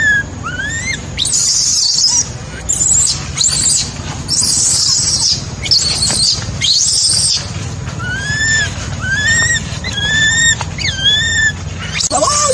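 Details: Baby macaque abandoned by its mother, crying: bouts of rough, screeching squeals alternating with clear, bending whistled whimpers in quick succession, ending on a falling wail, over a low continuous rumble.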